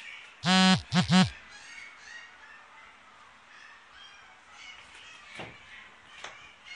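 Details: Female brindle-and-white Whippet puppy, born 22 November 2016, at a pet shop: a cluster of three short, harmonic yelping cries near the start, then near quiet with faint shuffling and small background noises.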